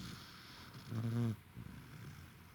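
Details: Roku the corgi, worn out, gives one loud, buzzing snore lasting about half a second, with quieter rough breathing before and after. Recorded 28 November 2021.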